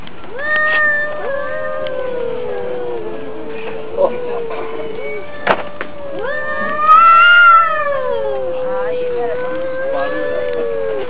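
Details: Two domestic cats fighting, trading long wavering yowls that rise and fall, one howl climbing sharply to a loud peak near the middle, with a few scuffling clicks between calls.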